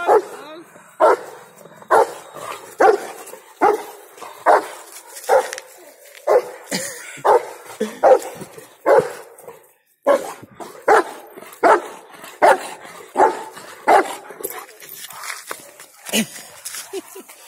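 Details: A long run of loud Rottweiler barks from Bolt, angry and playing at the same time, coming about once a second with brief pauses, some barks closer together, over a quiet background.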